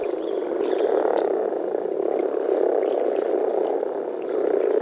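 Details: Dense, low, grumbling chorus of male European common frogs calling through vocal sacs while gathered to mate in a forest pond in early spring, swelling and easing slightly in loudness.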